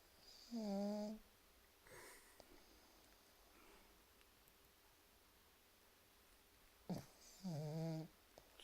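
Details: Sleeping pug snoring indoors: two nasal, tonal snores with stacked harmonics, each about half a second long, separated by roughly six seconds of quiet breathing in a small room.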